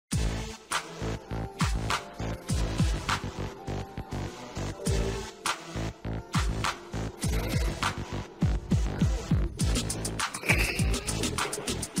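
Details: Throbbing electronic music with a fast, pounding beat and humming bass runs throughout, with no animal sound audible.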